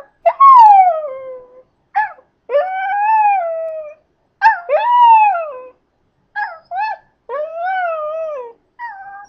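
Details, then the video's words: Teased into singing, a pet Scottish Terrier delivers a loud series of arched howls, each rising then sliding down, broken by short yips and gaps, about eight phrases in nine seconds. "Duff Sings the Blues"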